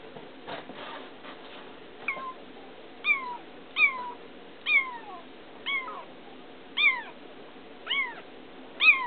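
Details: Baby feral kitten, caught two days earlier and turning affectionate, gives a run of short falling meows about every second, each a bright descending slide, after some faint tapping at the start.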